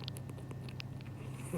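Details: Sleeping cat smacking its lips, likely dreaming of eating: a quick run of soft, clicky, wet chewing ticks over a steady low electrical hum indoors.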